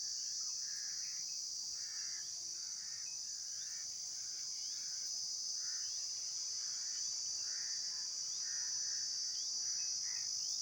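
Insects produce a continuous high, shrill trill, with softer chirps pulsing lower beneath it.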